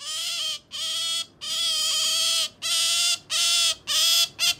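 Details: Sakura, a female pet otter, calling out of love for jerky indoors: shrill, strongly harmonic squeals in rapid bursts, about seven in under five seconds, each steady in pitch with short gaps between.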